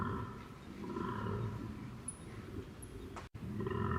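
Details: Close-up recording of a koala bellowing: a low, rough, rumbling roar with its weight in the deep register, steady for several seconds, broken by a sharp click near the end, over constant background hiss.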